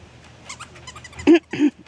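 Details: Havanese puppy named Lizzie, outdoors: two short, loud barks in quick succession, each about a sixth of a second with a harmonic tone. Faint human voices come just before.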